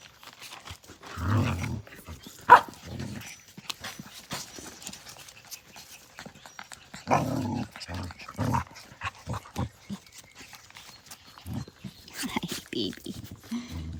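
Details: Australian Cattle Dog puppies at play, giving short, rough, low growling bursts in irregular clusters separated by brief quiet gaps.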